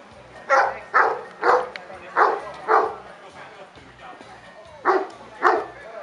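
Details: Kuvasz at the fifth Kuvasz club show in Kishegyes (Mali Iđoš), 2017, giving a run of loud, hoarse barks, about eight over six seconds, first in a quick series and then a pair near the end, over background chatter.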